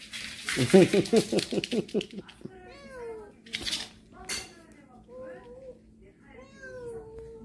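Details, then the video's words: Domestic cats from a family living in a storage shed, coming into the house on October 14; a rapid pulsed burst of sound, then several arched, wavering meows at varied pitch, with clattering thumps indoors. "창고 고양이 가족^^ / 집안으로 들어온 고양이들 ^^"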